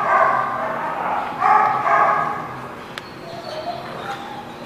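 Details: Dog barking at The Barking Lot on 14 July 2017: a run of quick, harsh barks in the first two seconds, then quieter yips, over steady room chatter and background noise.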